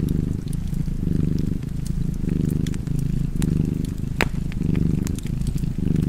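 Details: A cat purrs in low, throbbing pulses that rise and fall roughly once a second, accompanied by the bright snapping of fireplace embers.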